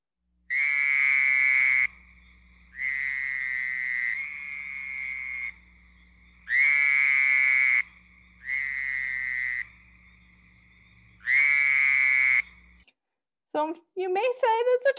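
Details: Fowler's toads, rare and of special concern in Michigan, give harsh, buzzy, unmusical screams of about a second, likened to a screaming goat, repeated again and again, nothing like a trill.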